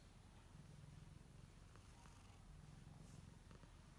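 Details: Kittens relaxing in their own beds while kneading; a soft, steady low rumbling purr pulses continuously, faint under room hiss, with a few light ticks.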